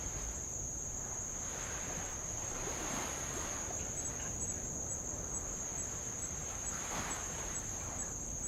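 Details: Tongan insects near the shore of Avalau island, Kingdom of Tonga, heard from a rowboat: a steady, unbroken high shrill whine runs throughout, over soft washes of light waves on old lava.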